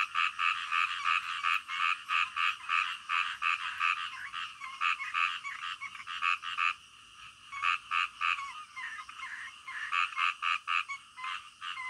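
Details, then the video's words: Frogs heard at midnight: rapid, evenly spaced croaks, about three per second, come in bursts separated by brief quieter pauses, over a softer background chorus. "SUARA KODOK DITENGAH MALAM"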